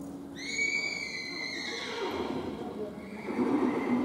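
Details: Welsh pony mare, born 2017, whinnying: a loud, high, shaking neigh with stacked bright tones that fades after about one and a half seconds, followed by rustling and a second softer rising call near the end.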